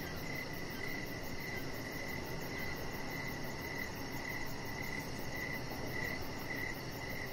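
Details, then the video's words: Evening crickets heard from a deck, their thin high chirps pulsing evenly about two per second without pause, with dense low-pitched ambient noise filling the background. "with Cricket Sounds"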